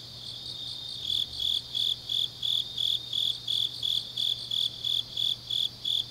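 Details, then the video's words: Autumn night grass insects in Changnyeong, South Gyeongsang, Korea: a soft opening second, then a loud high-pitched chirp starts and repeats evenly, close to three pulses per second, with a quiet low hum underneath. "깊은밤 가을 풀벌레 소리"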